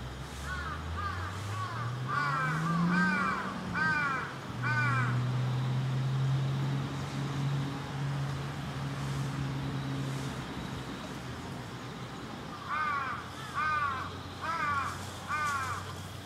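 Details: A mother white-handed gibbon with her baby at Tokiwa Zoo in Ube, Japan, gives bursts of clear, arched hooting notes, repeated quickly, with a low engine hum beneath.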